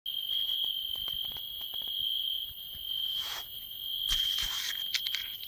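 A field cricket sings a steady, high, ringing trill that carries on without a break.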